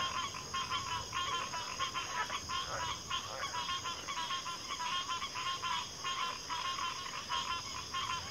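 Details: Many frogs croak at once in a continuous, busy chorus of rapid rattling pulses, a few lower grunting notes around the third second, all above a constant high-pitched buzzing drone.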